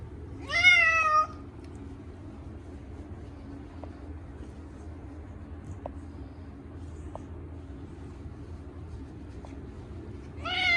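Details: Munchkin cat Chacha, short-legged, screaming in his once-a-year bath: a loud wavering meow near the start, then quiet room noise with faint taps, and another loud cry beginning at the very end.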